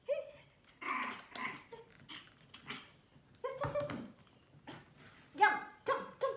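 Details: Fuzzy teddy-bear-faced Pomeranian puppy, newly brought home, lets out brief bright yelps, loudest near the end in three quick sharp bursts. Vietnamese voices chat in between and handling noises come and go.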